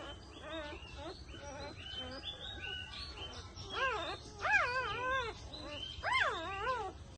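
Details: Labrador Retriever during stud breeding at Binalonan, Pangasinan, giving a run of high, arched whines that rise and fall in pitch, louder toward the end, with low background rumble.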